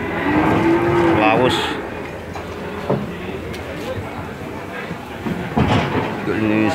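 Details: Calves unloaded from a truck at the Randudongkal cattle market in Pemalang, Indonesia, lowing with drawn-out, steady moos amid a busy crowd, chatter, and vehicle noise.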